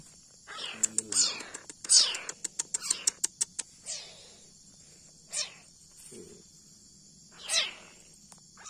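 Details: A fierce leopard cat kitten, being cared for and fed milk, gives breathy falling hisses spaced a second or two apart. A burst of rapid sharp clicks and ticks comes early on, and a brief low growl sounds midway.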